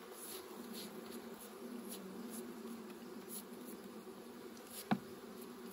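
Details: A quiet, even hum from bees during honey harvesting holds for the whole stretch, broken by a single sharp tap near the end.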